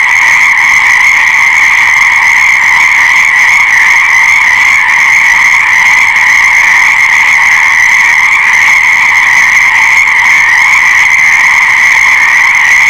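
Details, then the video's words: Dense frog chorus forming a seamless high-pitched whirring wall of sound, unchanging in loudness and rhythm through the whole recording, nothing else audible. "Fascinating Frog Sounds"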